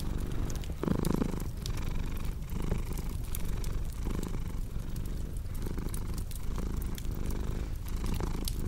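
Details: Domestic cat purring in a steady low rumble that swells and fades with each breath, under the sharp pops and snaps of a crackling fireplace.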